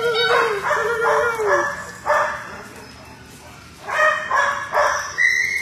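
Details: Marble, a male Great Dane aged three to four, rescued and fostered in South Carolina, playing and socializing: drawn-out whiny, sliding vocal sounds give way to short, sharp barks in irregular bursts, with faint voices nearby.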